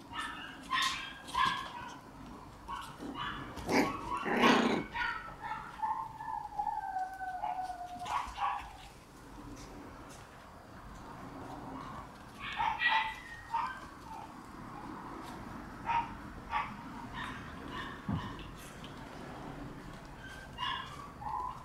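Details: Red Shiba Inu female puppy born on 23 August, barking and yipping in bursts. There is a loud cluster of sharp barks early on, a drawn-out whine, then scattered high yips after a quieter pause.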